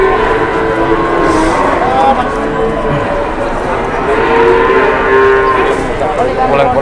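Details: Cattle at a livestock market in Indonesia, many animals lowing in overlapping long tonal moos that rise and fall, over a steady roar of crowd and market noise.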